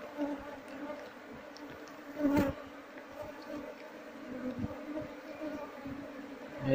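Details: Steady hum of a wild Apis cerana colony during harvest of its hive, bees noted as mostly aggressive when disturbed; low, sustained droning with faint overtones and one sharp knock midway.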